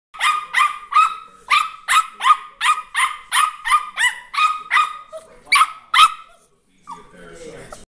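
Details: Dog barking in a rapid series of about fifteen sharp, bright barks over six seconds, roughly two or three per second, followed by a short pause and faint softer sounds at the end.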